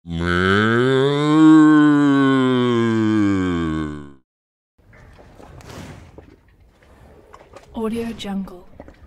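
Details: One drawn-out cow moo, the cow revered as Gau Mata, rises slightly then falls over about four seconds, rich and harmonic; after a brief silence come faint rustling, clattering and a short, distant nasal murmur.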